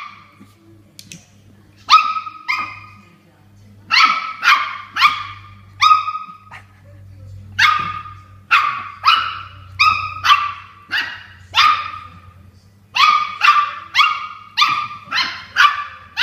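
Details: Indoor Toy Poodle squaring off against a water bottle it dislikes, letting loose a long run of about twenty shrill, clipped barks in quick bursts and pairs, with short pauses and a low background hum.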